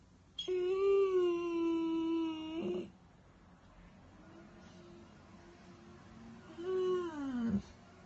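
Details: Weimaraner crying with two long moaning cries, the first a steady, level wail of over two seconds, the second shorter, arching and then dropping sharply, separated by quiet.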